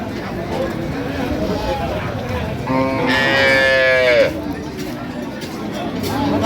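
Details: At Ambari Haat cattle market in Dinajpur, where cows and calves are sold, on 3 September 2025, a loud moo of about a second and a half falls in pitch, over background music and bargaining voices.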